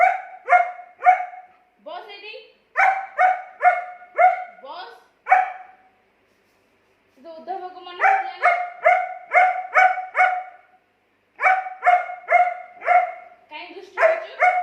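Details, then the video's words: German Shepherd dog arguing with its owner: bursts of short, tonal, evenly spaced barks in runs of three to seven, broken by pauses and a few lower rising voice-like sounds. "Dog Arguing With Owner"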